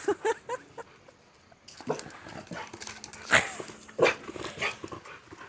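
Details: Boxer dog meeting a stranger, giving a few short, high whining yips close together, followed by scattered snuffling and rustling bursts with a faint steady hum underneath.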